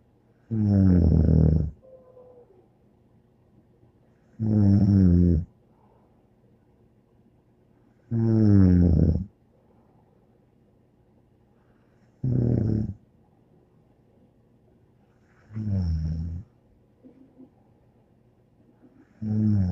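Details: Bear, a pet dog, snoring indoors: six loud, deep, rasping snores, each about a second long, come about every three and a half seconds with quiet breathing pauses between them.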